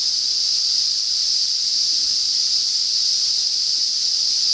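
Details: Cicadas singing in north-east Australia as summer begins, a loud unbroken high-pitched buzzing drone held at one steady pitch throughout, with no pauses and nothing else audible.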